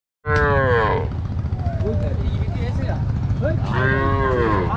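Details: Mother cow and her calf bathing in a river on a farm; two loud harmonic moos, one falling call at the start and another near the end, over steady low rumble and people talking nearby.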